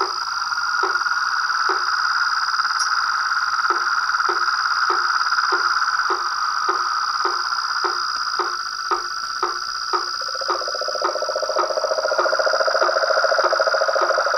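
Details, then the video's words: Nightfall chorus of toads, frogs and treefrogs at a pond beside a veranda: a continuous mid-pitched trill runs under quick regular knocking pulses, a lower buzzing trill joins halfway, and a constant high whine sits above. "A SINFONIA DOS SAPOS, RÃS E PERERECAS"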